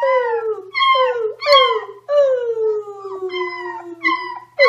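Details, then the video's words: Puppy howling in a series of drawn-out, falling wails, each starting high and sliding down, repeated about every second with short breaks between. "Cute Puppies Howling"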